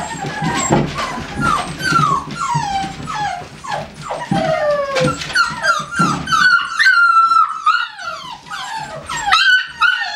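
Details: American Staffordshire Terriers from a kennel: several overlapping high, harmonic whines and yelps, many sliding downward, some short and sharp, others drawn out, calling in quick irregular bursts indoors.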